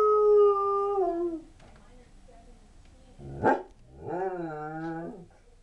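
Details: Sable Shepherd/Husky mix dog howling at a passing fire truck siren: a steady howl tapering off, a pause, one sharp bark-like yip, then a wavering, rising-and-falling howl lasting over a second.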